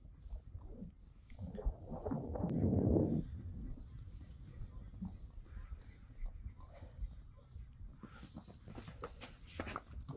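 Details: A male Friesian horse gives a low, rough, breathy burst of sound lasting about a second, one of the funny noises he makes together with a companion horse.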